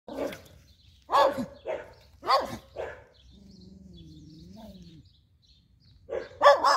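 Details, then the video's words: Angry Schnauzer barking in the street: sharp barks in quick pairs and bursts, a soft whining tone in between, then a fresh burst of barking at the end. "Schnauzer Barking"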